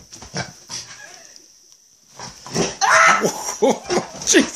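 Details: Female pet dog in an early-morning play session, giving a quick run of short, rough grunts and whines that bend up and down after a quiet pause, over a steady high-pitched electronic whine.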